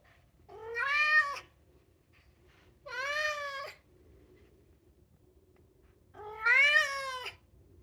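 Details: Polydactyl Maine Coon, two years old, meowing and singing indoors: three loud, drawn-out meows, each swelling up then sagging in pitch, spaced about two to three seconds apart in a quiet room.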